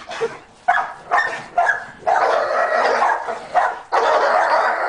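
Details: Dogs barking in short, sharp bursts, four quick barks in the first two seconds, then longer harsh, noisy barking stretches with brief gaps, loud and close throughout.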